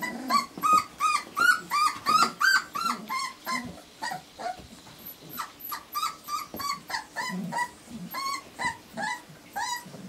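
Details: Young Irish Terrier puppies, four weeks old, give a steady run of thin whining yelps, nearly three a second, bright and slightly rising, several littermates crying together in a continuous chorus.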